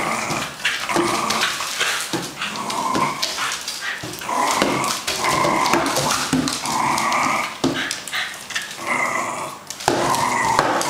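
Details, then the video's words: Male fox terrier, two years old, in a Hong Kong home, savaging a cardboard box on a weekday evening; sustained rough growling in bursts with brief pauses, mixed with tearing and rustling of carton. "Fox terrier P jai murders carton box"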